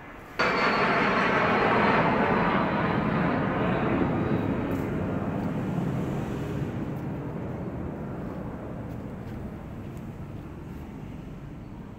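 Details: Loud broadband roar of an engine or aircraft starts abruptly and slowly fades over twelve seconds, with no animal calls heard.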